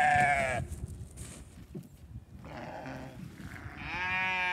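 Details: Farm sheep at hay feeding with a hungry ram lamb nearby; a short bleat at the start, then quieter stretches with faint distant bleating and a rising bleat near the end.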